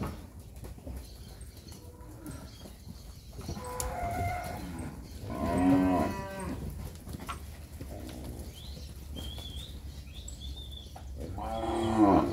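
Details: Herd of 67 Nelore and Nelore-cross heifer calves, ten months or older, near Fernandópolis, São Paulo state, Brazil. Several separate moos, a loud drawn-out one midway and another at the end, with quieter lowing between and faint bird chirps.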